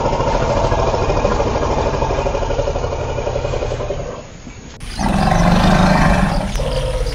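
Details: Elephant calling: a loud, harsh, sustained roar with deep layered harmonics lasts about four and a half seconds, drops away briefly, then a second, even louder roar bursts in and carries to the end.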